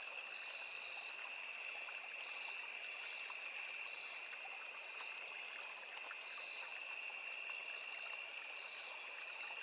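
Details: Crickets calling in a forest beside a small river: a steady, unbroken high-pitched trilling chorus in two shrill bands, with a softly babbling stream beneath.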